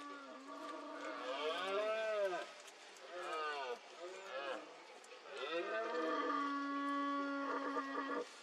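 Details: Red deer stag in the rut, Cantabria, Spain, 2022, roaring among mists: a series of four throaty, groaning roars, each rising then falling in pitch, with the last one long and steady.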